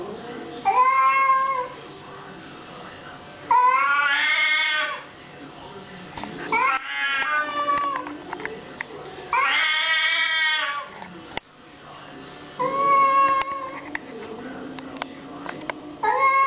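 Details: Domestic cat fight: a series of drawn yowls and harsh wails alternating with quieter gaps, some calls rising then falling, scattered clicks and faint voices between outbursts.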